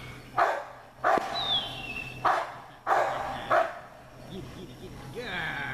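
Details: American Bulldog puppies barking: five short, sharp barks roughly every second, followed by a thin whine and speech-like voices near the end.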